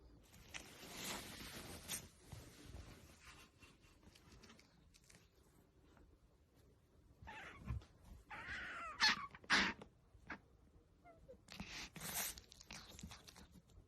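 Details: Asian small-clawed otter, a pet kept indoors in a playful mood, making baby-like noises: short, high squeaky calls clustered near the middle, between soft rustling and knocking sounds.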